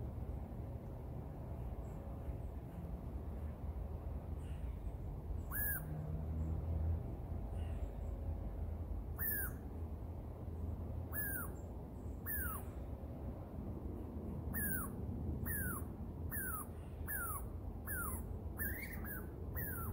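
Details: Young Douglas squirrel calling from a tree, giving scattered short descending squeaks that come closer together toward the end, over a constant low rumble.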